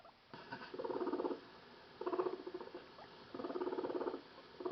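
A guinea pig purrs in three low, rapidly pulsing bursts, a sound made when curious.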